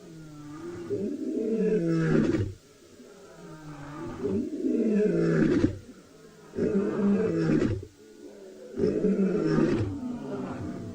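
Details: At sunset on 2 July 2020 in Tswalu Kalahari Reserve, South Africa, scattered lions (Panthera leo) give deep, throaty contact roars in a regular series, some far off, to reunite and regroup the pride.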